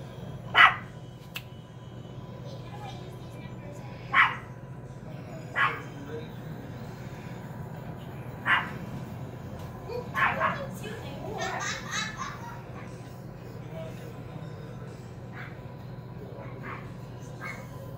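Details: Several Chihuahuas running about together during zoomies, letting out sharp, isolated barks spaced a few seconds apart, then a quick cluster of yapping near the middle, with human voices and a steady low hum underneath.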